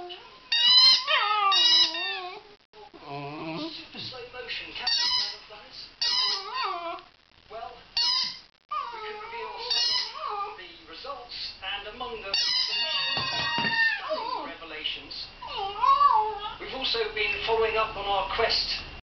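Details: Singing from Meg, a Border Terrier: choppy yelping howls and whimpers that rise and fall, interrupted by short pauses and some mixed-in voice-like sounds.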